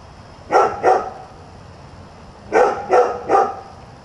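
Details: Newly arrived dog at a new house barking around 7 a.m.: a quick pair of loud barks, a pause of over a second, then three rapid barks in a row, over a low constant background hum.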